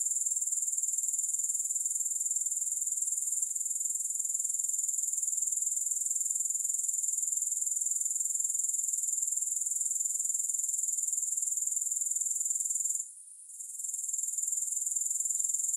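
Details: Grasshoppers, heard with no music: a steady, very high-pitched shimmering chirr of rapid pulses, continuous apart from a brief drop near the thirteenth second.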